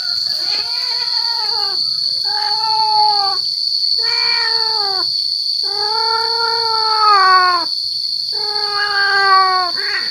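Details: Male cat calling to draw in female cats, giving long, loud, wailing caterwauls that bend slightly downward, four or five in a row with brief pauses, over a steady high electronic whine.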